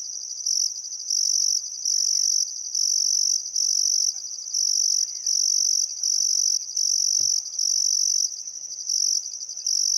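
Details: Chirping crickets at an Australian outback river at summer sunset, Welford National Park on the Barcoo River: bright high-pitched pulsed trilling, a few faint bird notes and a single low thump midway.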